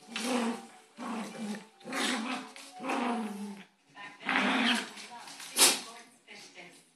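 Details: Dogs fighting, a little dog gripping a big dog's neck: rough, harmonic growls in bursts of about a second, separated by short pauses, with scuffling and sharp noises toward the end.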